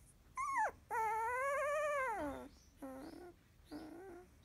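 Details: Field-type Labrador Retriever puppy, sixteen days old, sleepy after nursing; a short high whine, then a long wavering whimper held about a second and a half, trailed by two softer, lower squeaky whimpers.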